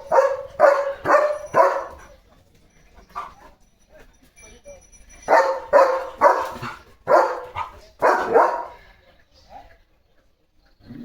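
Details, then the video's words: German Shepherd Leo barking as cattle come near with the rain: four rapid barks, a pause with soft sounds, then another run of about seven barks in quick succession, with brief human voices. "बघा Leo The German Shepherd कसा सांगतोय – पाऊस आलाय!"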